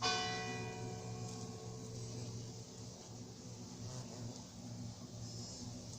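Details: A church bell strikes at the start and its ringing tone slowly fades, with faint background noise and no animal voice.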